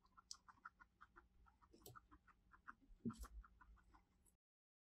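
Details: Domestic guinea pig indoors, filmed in 2020, giving a run of short, soft clucking notes at about three to four per second, with a couple of louder rustling thumps partway through before the sound stops.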